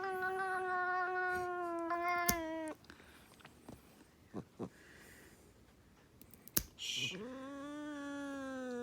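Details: Cat making a pig-like noise while getting its nails trimmed. A long, nasal, droning cry of nearly three seconds is followed by clicks and handling noise, then a second drawn-out, rising-then-level wail.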